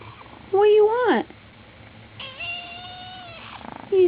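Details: Ginger kitten crying with two meows: a first rising-then-falling meow lasting about three-quarters of a second, then a longer, steady, drawn-out meow after a pause, with a faint start of another at the end.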